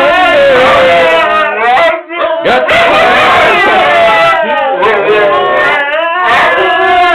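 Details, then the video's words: Several Siberian huskies 'singing' together: overlapping wavering howls rise and fall in pitch and weave around each other. There is a short break partway through, and a man's voice is mixed in. "Singing Huskies"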